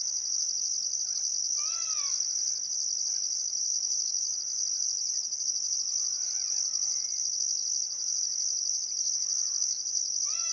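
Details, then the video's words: Sunset on a still summer afternoon at Welford National Park's Barcoo River, Australia: crickets sustain a shrill, even trill with rhythmic higher pulses roughly every second, accompanied by occasional clear rising-falling bird whistles. "Australian Sunset Chirping Crickets"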